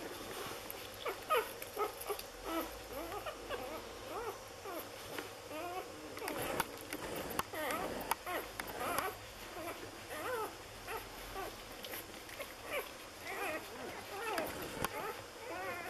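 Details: Lagotto Romagnolo puppies of an A litter in Hamburg on their sixth day, squealing and whining almost without pause: many short, high, wavering cries, some sliding up or down, with soft rustling and a few sharp knocks.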